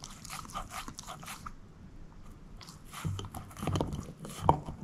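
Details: Bone-eating by Moose, a shepherd mix: quick crunches at the start, a brief pause, then heavier grinding chews building to a sharp crack near the end.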